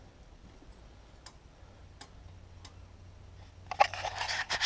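A few soft clicks in a quiet room, then a burst of rustling and scraping near the end.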